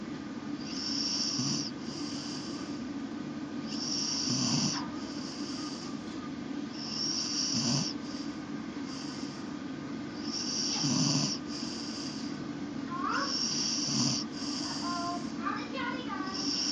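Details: An English Bull Terrier napping in a laundry basket snores loudly in slow, rasping breaths, a hissing rattle roughly every three seconds.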